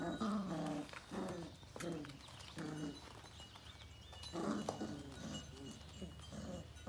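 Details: Female Sheepadoodle puppies, a litter of Coco's, make short harmonic whimpers and grunts in bursts, with clusters near the start, middle and end, over a steady low hum and light rustling.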